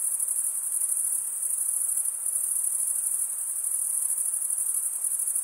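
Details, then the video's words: Stridulating crickets, chiefly males rubbing serrated wing veins together, make a continuous shrill trill with a gentle rapid pulse, steady and even from start to finish, nothing else audible. "Most relaxing cricket sound"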